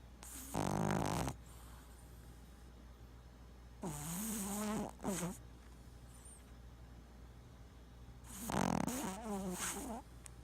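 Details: Boston Terrier snoring in sleep, twitching; long rasping snores with wavering, gurgling tones, one ending in a short snort, three main bursts over a steady low hum in a quiet room.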